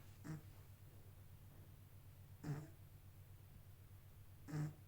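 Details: Snoring from a sleeping kitten: three short, gruff snorts roughly every two seconds, quiet and breathy, set against a continuous low room hum.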